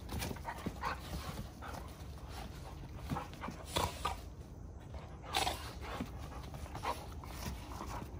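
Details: Several Giant Schnauzers wrestling and tussling in rough play: short gruff bursts at irregular intervals, a few louder snorting huffs near the middle and end, over a steady low rumble.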